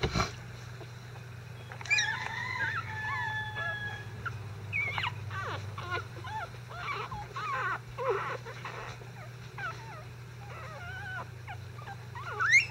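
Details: Newborn Icelandic Sheepdog litter, five days old and stirred up during a bedding change, producing a run of short high whimpers and squeals, some bent and wavering, against a constant low electrical hum.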